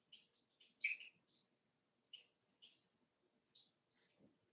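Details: Daisy's litter of five-week-old Cavalier King Charles Spaniel puppies in their indoor pen, giving short, high-pitched chirping squeaks in quick clusters, one louder whine near the start, and a soft low thud at the end.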